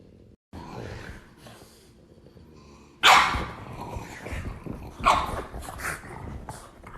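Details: Female dog angry when her brother wants to play with her: a low rumbling growl runs through the first seconds, then two sudden loud, harsh bark bursts, followed by softer grumbling noises.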